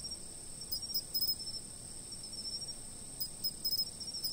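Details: Insects chirping at a fixed spot, as sleep-aid sound: a steady, very high continuous ringing trill underlies everything, broken by short clusters of sharper pulsed chirps near the start and again toward the end, with no other clear sounds.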